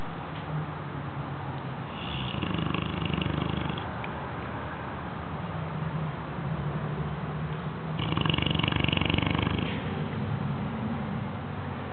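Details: A 6-month-old Bloodhound pup snores, with deep, rumbling breaths and a raspy, rattling swell every few seconds.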